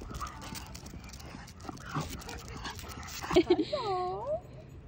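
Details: One-year-old black and silver Miniature Schnauzer indoors, crying with excitement on seeing a poodle friend across the street through the window; a person talks, then the dog gives short yips and rising-falling whines.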